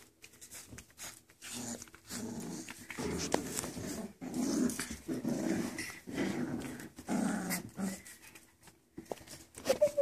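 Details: One-month-old poodle puppies wrestling together indoors make repeated low rough play growls in short bursts, mixed with small yips and scuffling, with brief pauses between bouts.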